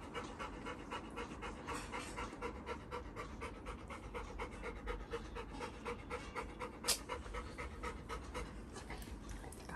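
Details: Labrador Retriever named Little John greeting his elder brother as they are reunited; fast, breathy panting pulses at roughly four per second, soft and steady throughout, with no clear voices over it.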